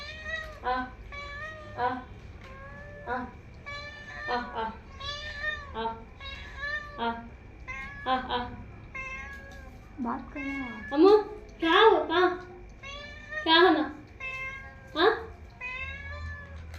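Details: Pet cat answering its owner's every word: a woman's speech alternates with the cat's meows, which grow into louder, drawn-out, rising-and-falling cries toward the end.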